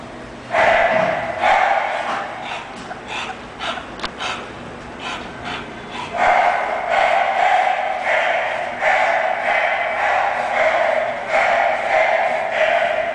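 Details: English Bulldog named Shun giving a run of loud, harmonic barks in bursts, some long and drawn out, repeated at an uneven pace of roughly one to two per second, with short pauses between groups.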